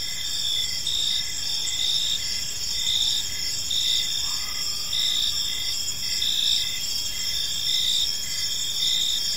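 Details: Park crickets at evening, an unbroken shrill chorus of high trills with a lower chirp pulsing about twice a second; a faint brief tone briefly rises midway.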